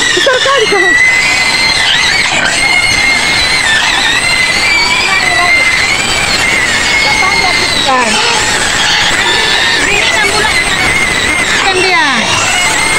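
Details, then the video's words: White pig screaming in its pen on the outskirts of Medan, Indonesia: dense, shrill squealing held almost without pause, with a piercing tone steady throughout and brief breaks near the end. "SUARA BABI PUTIH MENJERIT JERIT DI KANDANG"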